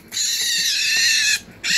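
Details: Baby raccoon at a licensed wildlife rehabilitator, one of two hungry youngsters wanting a bottle before cleaning, gives a single sustained, harsh, high-pitched wail of over a second, then a short second burst.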